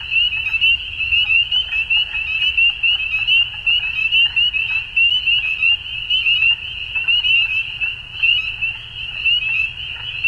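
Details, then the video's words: Dusk frog chorus of many callers blending into one steady high trilling band, swelling and dipping in short waves throughout, over a faint low background hum. "Frogs At Dusk"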